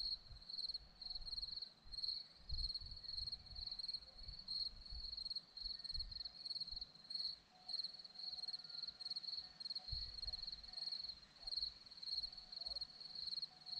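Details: Hillside crickets near Zorlesti, Romania, keep up a continuous shrill chirping made of rapid pulsed bursts, while soft low-frequency background noise comes and goes.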